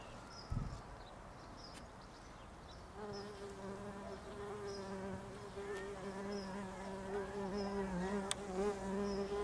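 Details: Bumblebees nesting in a house roof, a steady droning buzz rising in after a few seconds of quiet, wavering slightly in pitch as wings hum, with faint bird chirps above.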